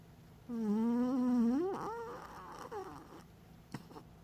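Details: Lucky, a pet dog sleeping soundly and snoring now and then, gives one voiced, moaning snore about a second long, a steady tone that rises at the end, then softer breathy trailing sounds and a brief click in a quiet room.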